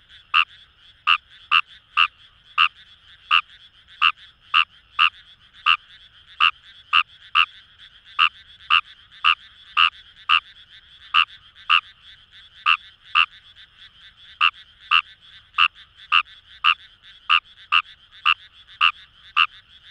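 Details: In Itoshima's Kamo River paddies, Fukuoka, wild Fejervarya kawamurai give rapid, evenly pulsed croaks, nearly two per second, with a brief pause midway, layered over a constant chorus of other frogs of the same kind.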